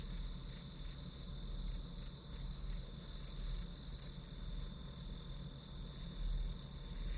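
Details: Chorus of grass insects heard as study ambience, a bright pulsing high-pitched trill running without pause over a faint steady tone and low background rumble.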